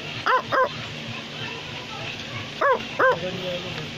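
An Australian Labradoodle gives two pairs of quick, sharp barks, about two seconds apart.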